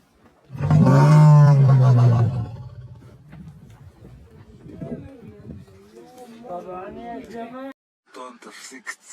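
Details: A single powerful, low, growling lion roar of nearly two seconds, followed by fainter murmuring, rising and falling tones and a few sharp clicks.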